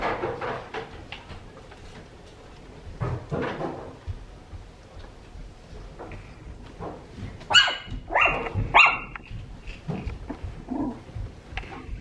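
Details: Miniature Poodles, more than one dog, barking: a few dull, scattered barks early on, then a burst of louder, sharp, ringing barks near the middle, followed by softer yips and whimpers trailing off.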